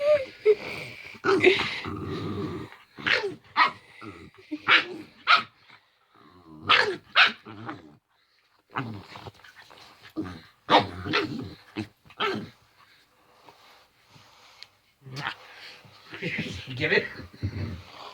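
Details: Male house dog vocalising during play, his ordinary playing noises: a long, irregular series of growls, grumbles and squeaky whines in quick bursts with short silences, intensity rising and falling throughout.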